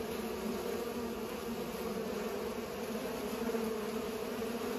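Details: Steady humming of bees busy pollinating, a dense continuous buzz with two clear tonal bands and small wavering shifts in pitch as individual insects pass.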